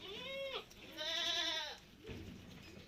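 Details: Malabari goat at a farm, out in the open with the herd: a short bleat followed by a longer, strained arching bleat lasting nearly a second, then a soft low grunt over steady background hiss.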